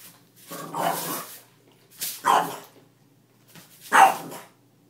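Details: Female French Bulldog indoors protesting at a mop being used, giving three rough, breathy, noisy grumbling barks about one and a half seconds apart, each swelling then fading, with quiet pauses between.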